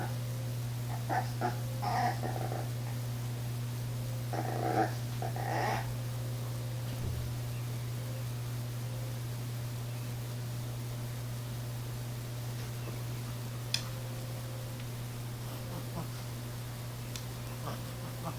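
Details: Female Chihuahua Maya, up on a chair indoors, whines while afraid to jump down to fetch her toy from the floor: short nasal whimpers and grunts in two bursts over the first six seconds, then near quiet over a steady electrical hum.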